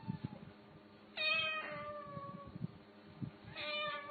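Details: Domestic cat meowing indoors: two loud, clear meows with rich harmonics, the first drawn out and slightly falling, the second shorter, separated by soft thumps and quiet room noise.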